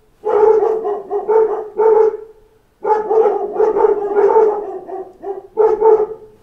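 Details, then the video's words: Several dogs in a pack bark at knocking on a door, giving clustered volleys of sharp, overlapping barks separated by short quiet gaps, the last volley starting just before the end. "Wake Up to a Pack of Dogs Barking at Knocks at the Door"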